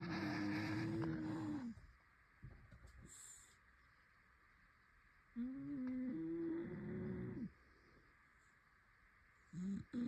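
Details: Toby, a Shar Pei, snores with a whistling, tonal note that wavers and holds for under two seconds, then falls silent for several seconds before the next drawn-out breath; faint soft clicks in between.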